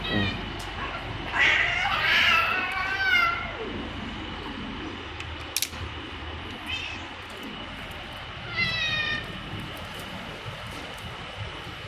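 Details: Malnourished stray cats fed outdoors in Saudi Arabia; loud overlapping meows early on, with a rising and falling wail near two seconds, then quieter meows at about seven and nine seconds over a steady background hum and clicks.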